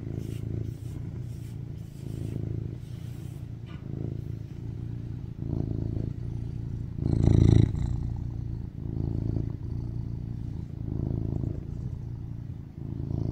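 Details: A rescued male tuxedo cat, born 2019, purrs contentedly while lying on his owner craving cuddles. It is a deep, continuous rumble pulsing several times a second, with brief handling rustles and soft clicks close by.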